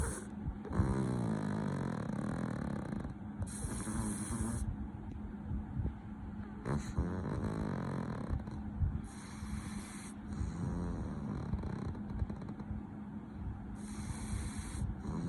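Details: Loud snoring from a sleeping pug, continuous low rasping breaths rising and falling in uneven cycles, some snorting catches, with a constant background hum.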